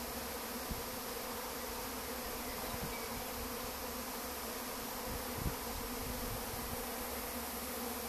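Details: Swarming honey bees that had lived behind a house wall, now leaving to search for a new place to settle; a dense, steady, low humming drone holds throughout with no breaks.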